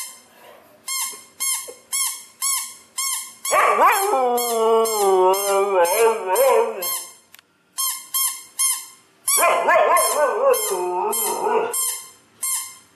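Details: Pet Siberian Husky Nyockyee howling in reaction to a sound: two wavering, yodel-like howls of several seconds each, separated by a run of evenly spaced, high beeping tones that also open the clip.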